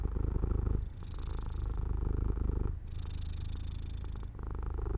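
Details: Pet cat nodding off beside an open window in the sun; a close, deep, vibrating purr pulses steadily, pausing briefly between breaths about every two seconds.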